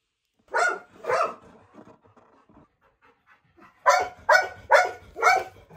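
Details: Golden Retriever, a pet dog, eagerly gulping treats at snack time; two breathy bursts, a quiet stretch with faint soft rustles, then four quick huffing breaths in a row.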